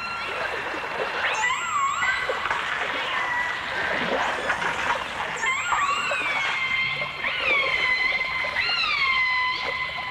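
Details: Dolphins in a 1989 stereo recording that also features orcas: several overlapping whistles, some flat and long-held, others rising then falling, with harmonic overtones, over a steady bed of clicks and watery crackle.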